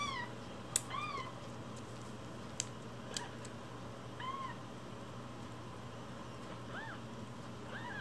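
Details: One-week-old rescued kitten, umbilical cord still attached, cared for as a foster, gives faint high arched mews scattered through the stretch, with clicks and a steady low hum indoors.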